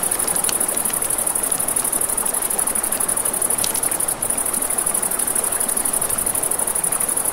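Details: A nocturnal riverside scene with crickets: an even, high continuous trill dominates above the low rush of the river, with several sharp campfire crackles clustered around the middle.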